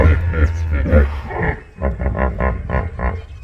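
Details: Hippopotamus (Hippopotamus amphibius) in a tranquil Kruger Park waterhole: deep, rumbling grunts open into a run of about six short honking pulses, one roughly every quarter second, while lesser masked weavers perch nearby.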